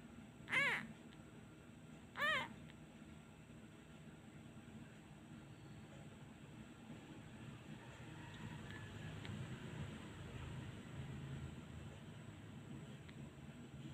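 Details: Abandoned male kitten crying each time a hand is taken away, missing his mother: two short, high, piercing mews about two seconds apart near the start, followed by a long stretch of quiet low background rumble.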